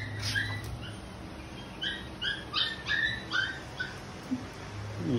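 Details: Stubborn Labrador Retriever whimpering: a run of short, high, nasal whines, each sliding slightly downward, repeated about every third of a second, with a low steady hum underneath.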